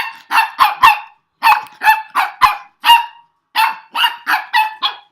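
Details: Excited puppy reacting to a strange noise from its owner, giving high-pitched yappy barks in three rapid bursts of about four to six barks each, with short pauses between bursts.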